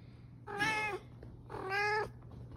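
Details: Pet serval living with a family gives two short, harmonic meow-like calls about one second apart, each level and slightly falling at the end, over a low steady hum.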